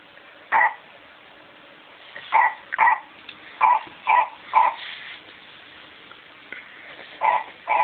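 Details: PaddyMac, a pet dog, attacking a McDonald's Clifford toy and letting out short barks and yips in uneven bursts, two or three close together then pauses, indoors with faint background hiss.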